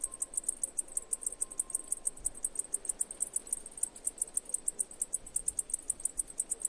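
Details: Rapid, regularly spaced high chirps from a cicada, pulsing evenly throughout, with a faint steady tone briefly heard early on.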